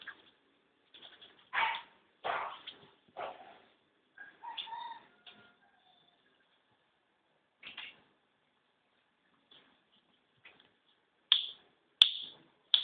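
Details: Male Kintamani dog puppies, a Balinese breed, giving short high yelps and whimpers in scattered bursts, a few tonal squeaks mixed in, with sharper yips near the end.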